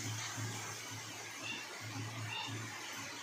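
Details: Faint music and a low steady electrical hum sit under a constant broadband hiss; no animal sound is heard.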